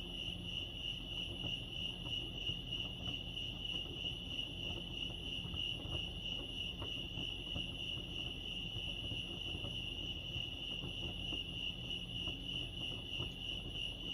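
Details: Crickets at Lake Arrowhead in California produce an unbroken, level high trill throughout, accompanied by light ticking sounds and a quiet low background drone.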